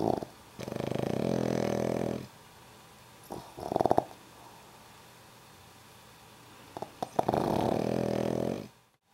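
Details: Black pug named Kento asleep indoors, snoring in long rasping breaths of about one and a half seconds, with a shorter snort between, a second sleeping pug possibly answering from nearby.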